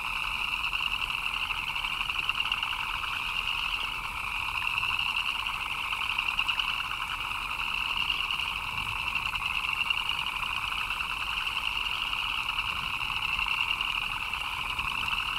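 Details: A rain-time frog chorus: countless rapid chirps merge into a constant buzzing drone, a bright upper trill over a softer mid-pitched pulsing layer, steady from start to finish.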